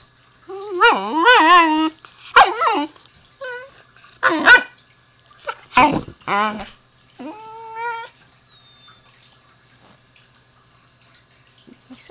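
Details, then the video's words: Pet husky puppy talking to its owner: a long wavering whine-howl, then clipped gruff woofs and short warbles, ending in a steady drawn-out whine before quiet; a woman speaks right after. "the Husky talking to me"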